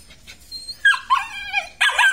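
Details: Male Belgian Malinois with black and red-black coat, kept at a kennel in Vietnam, letting out short whining yips that rise and waver, then a louder abrupt yelp near the end.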